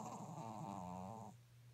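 A Pekingese snores with one low, rattling, raspy breath that fades after about a second.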